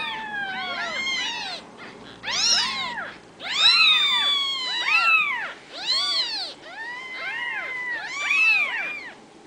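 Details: Ragdoll kittens, home-raised and well socialized in central Kansas, cry in repeated arched meows, a few long and sliding downward, in clusters roughly every second with overlapping voices.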